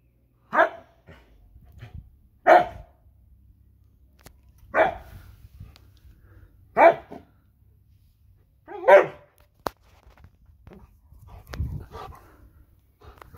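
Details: Siberian Husky repeatedly barking at a lawnmower, five sharp barks spaced roughly two seconds apart, with clicks and a low mechanical rumble toward the end.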